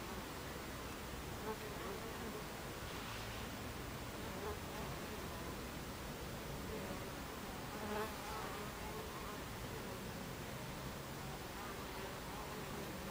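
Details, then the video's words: Beehive entrance with Buckfast bees on 26 July 2013, 14:30: continuous low buzzing of many insects, pitch wavering as individuals pass close, with brief brighter swooshes around three and eight seconds. "Beehive Entrance Buckfast Bees"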